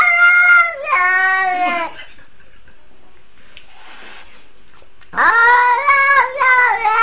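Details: Young cat, once seized by a pitbull as a twenty-day-old kitten and rescued, calling out for help with drawn-out harmonic cries, a sliding wail near two seconds, silence, then several rising, clipped meows in quick succession.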